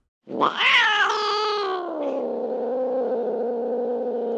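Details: Single cat giving a loud, prolonged meow that starts sharply, climbs, then settles into a steady, slightly wavering drone held for several seconds.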